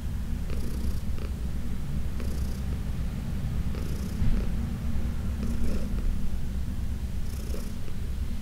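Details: Senior adopted cat Heidi, once arthritic and uncomfortable, purrs steadily while massaged on June 17, 2021; deep unbroken rumble with soft airy bursts at irregular intervals of one to two seconds.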